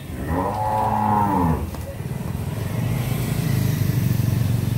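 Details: Friesian cow, pregnant and close to calving, at a dairy farm in Pabna, Bangladesh, lets out a single moo of about 1.5 seconds, followed by a steady low engine-like rumble.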